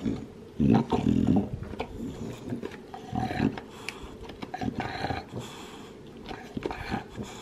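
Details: Male Olde English Bulldog, two years old, lilac tri, in the USA, working on a bone: loud crunches early, then scattered gnawing clicks and scraping with softer chewing throughout.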